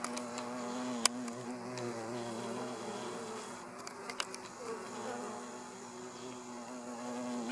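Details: A hornet at a hive's flight entrance, feeding on a bee, gives a continuous low humming drone with layered overtones, broken by a few sharp clicks and brief ticks.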